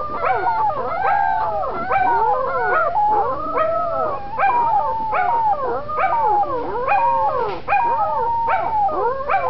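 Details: A litter of corgi puppies, discovering their voices, howl together in overlapping, wavering cries that rise and fall in a chorus.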